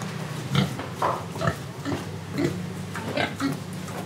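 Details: Pigs in Indonesia with dense overlapping oinks and grunts, rapid nasal snorts coming several times a second over a steady low drone.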